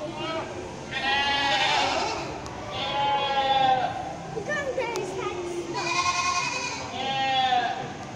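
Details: Goats on a farm bleat loudly, four drawn-out wavering cries coming roughly every two seconds.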